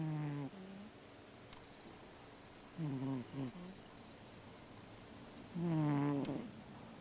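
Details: Sleeping Siamese cat, snoring and moving while dreaming, gives three soft low moaning murmurs with harmonic overtones, brief then longer, spaced a few seconds apart, in a quiet room.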